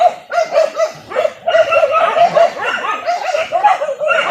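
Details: Several village dogs bay during a traditional wild boar hunt with dogs and spears in Indonesia, giving a rapid, continuous chorus of high yelping barks, many voices overlapping.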